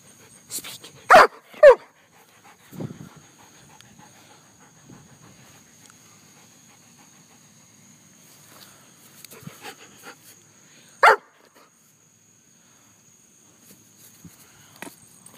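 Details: A pet German Shepherd barking, apparently after being told to speak: two sharp barks close together near the start, a softer low sound shortly after, then a lone bark much later, with quiet gaps between.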